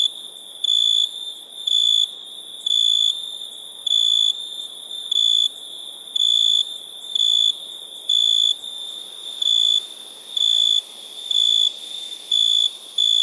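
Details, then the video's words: Crickets calling at night in India, their clear piercing chirps repeating about once a second in a fairly regular beat, backed by a steady hiss of other high insects. "Night ambience cricket sounds"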